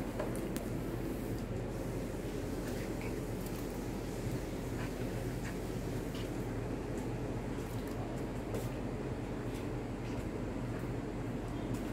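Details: Steady broadband hiss and low indoor hum with faint scattered clicks, and no clear animal sound.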